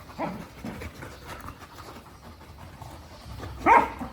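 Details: Angry dog giving a short, sharp bark near the end, preceded by a few fainter, lower vocal bursts at the start; otherwise quiet background.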